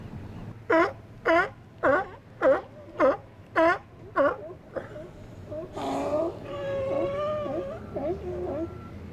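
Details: Steller sea lions resting and chatting among themselves in an outer harbour on a sunny January winter's day; seven short, harmonic, moaning calls repeat about every half second, then longer wavering, overlapping calls follow over low background rumble.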